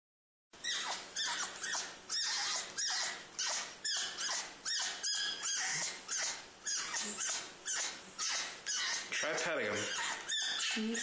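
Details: Pet male fennec fox screaming out of excitement, not hurt, suddenly and without clear reason; harsh, broadband screams in a steady rhythm of roughly two per second, each starting loud and fading, continuing for about ten seconds.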